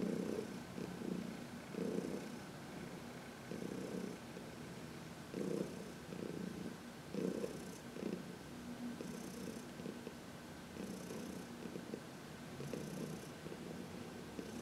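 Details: Sun-warmed 14-year-old cat Heidi, adopted as a senior from a New York City shelter, purring through a massage on March 19, 2021; loud, low rhythmic purr repeating roughly every two seconds with breathing, steady throughout.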